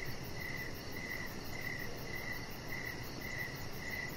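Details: Outdoor evening crickets beside a lit deck with a resting chihuahua: crisp high-pitched chirps pulse regularly, about one and a half per second, over steady broadband noise.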